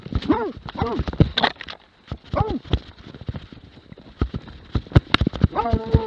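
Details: Plott hound recorded in 2017 giving loud, arched barks that rise and fall, in bursts near the start, middle and end, over scuffing thumps and rustling.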